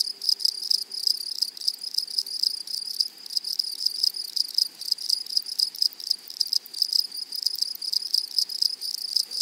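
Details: Grasshoppers singing in a flowery meadow prairie make a steady, high, shimmering buzz of evenly spaced ticking pulses. Several chirrs overlap, and a brief faint low tone sits in the background near the start.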